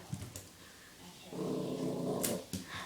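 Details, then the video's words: Sophie, a female puppy confronting herself in the mirror, gives a low, steady rumbling growl lasting about a second, framed by faint clicks and soft room noise. "Crazy puppy! Sophie barking @ herself"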